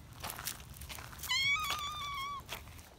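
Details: An excited young community cat, held in someone's arms, lets out one long, shrill, slightly rising then falling meow lasting about a second, amid rustling and footsteps.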